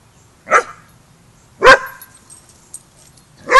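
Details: Barking at a Border Collie boot camp during young pup Rammstein's first lesson with the pack: three sharp, loud barks spaced about a second apart, the last cut off, over a low background hum.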